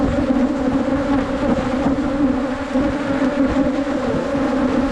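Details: Steady swarm hum of wild Asian honey bees during a 2022 honey hunt, a thick continuous drone with stacked overtones and no breaks, faint rustling beneath.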